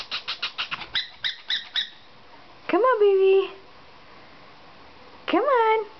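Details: 5½-week-old German Shepherd puppy climbing down a second flight of stairs: a few quick high chirping squeaks, then two drawn-out rising-then-falling whines with a steady tail, separated by a quiet gap.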